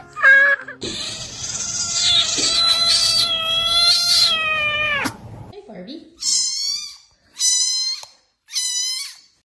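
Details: Domestic cat making funny sounds: a long, held, strained meow-like cry lasting about four seconds over a noisy background, then three short, clear meows spaced roughly a second apart.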